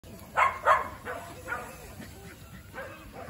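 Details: Shetland Sheepdog Yotsuba playing at the Doggies Island dog run on 1 September 2023, a hot late-summer day with shade and a cold spring-fed pond; two sharp, loud barks close together near the start, then faint softer yips over background noise.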